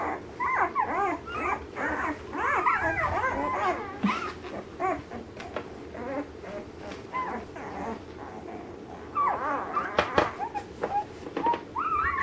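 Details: Litter of ten-day-old Alaskan Malamute puppies, the 2013 Mystique/Alpine litter: a chorus of high, wavering whimpers and squeals overlapping from several pups, rising and falling quickly, with soft thumps and shuffling beneath.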